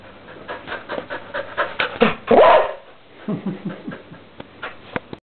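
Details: Border Collie playing with a balloon, giving a run of short, sharp vocal bursts that build to a louder strained whine, then softer panting-like huffs and a few closing thumps.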